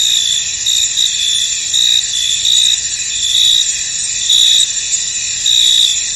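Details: Misty field at night-like calm with crickets calling: continuous piercing high trills overlapping, and irregular louder chirps rising above the drone roughly every second.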